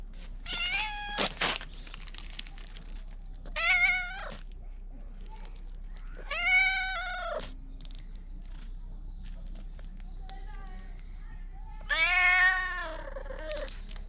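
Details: Stray cat at the Bise Fukugi tree-lined avenue in Okinawa, Japan, loudly calling as though pleading, recorded with a GoPro 9; four loud, long, arched meows spaced several seconds apart over quiet outdoor background.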